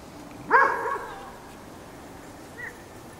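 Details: Poodle meeting a snowman on a snowy trail, reacting with one loud, short, rising-then-falling harmonic yelp, followed after two seconds by a faint, brief second yip over quiet background hiss.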